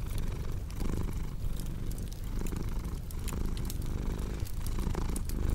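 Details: Steady deep purring from a cat, a soft low rumble that barely varies in loudness, overlaid with frequent crisp crackles and ticks from a wood fire in the room.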